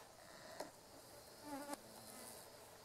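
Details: Carpenter bee females (Xylocopa appendiculata circumvolans) buzz-pollinating meadow-rue blossoms beside a railway in Japan, mid-August 2013; short, higher-pitched vibrating bursts, one brief and one lasting about a quarter second, end in sharp clicks over quiet hiss.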